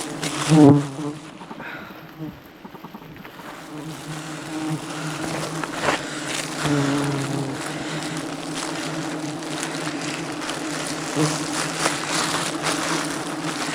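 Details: Wild honey harvesting in the jungle as an aggressive bee swarm attacks the climbing honey hunter; steady low buzzing hum throughout, with a sharp loud burst near the start.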